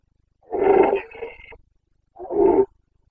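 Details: Carpathian red deer stag roaring in the Bucovina rut, September 2022: a hoarse roar trailing into a fading rasp, then a second shorter bellow after a pause of about a second.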